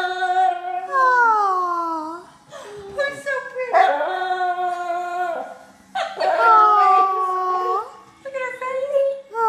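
A Basset Hound howls in long, wavering, sliding tones broken by brief pauses.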